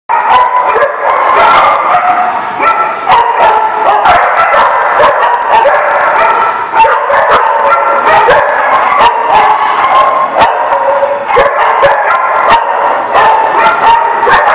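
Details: Dogs barking together, recorded December 18, 2017. A dense, loud, continuous chorus of overlapping barks and yips sounds throughout, with sharp bark onsets standing out against the constant din.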